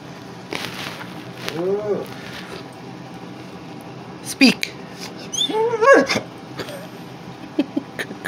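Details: A female Vizsla gives a few short, sharp barks and whines in response to a woman's "speak" command.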